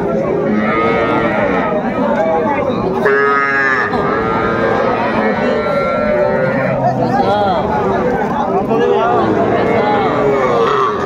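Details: Small bulls and heifer calves at a cattle market in Faridpur, Bangladesh: repeated moos, one clear harmonic call near three seconds, amid dense crowd noise and people haggling over prices.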